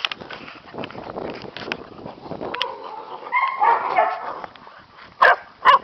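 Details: Two young Catahoula pups, 9 and 7 weeks old, romp around a farm; a rough, scuffling patch with low whines and growls, then a rising squeal and two sharp, loud yaps at the end.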